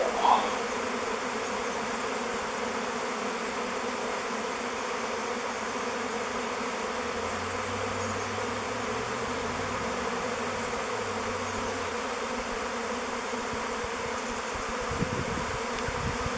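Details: Thousands of honey bees circle in a swirling swarm around a log hive called Bee Beard, about to move in. A continuous even droning hum throughout, with a faint low wavering tone midway and a brief thump near the end.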